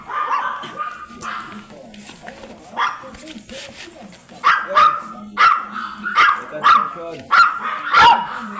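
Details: At Manaoag, Pangasinan, a blue Miniature Pinscher offered for stud starts with scattered muffled yips. A quick burst of loud, shrill barks follows in the second half, spaced under a second apart.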